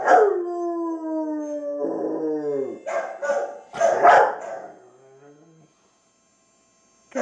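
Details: A female Rottweiler howls at her own image on a television in long, wavering tones that slide downward in pitch, then breaks into short yelping bursts.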